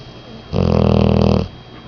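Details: Ten-month-old female English Mastiff snoring: a single deep, vibrating snore of roughly one second, steady pulsed rasp rising from and falling back into near silence.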